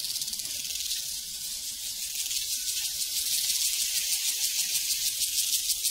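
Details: Prairie crickets form a steady wall of shrill, fast-pulsing trills that swells slightly toward the end. No other sounds stand out.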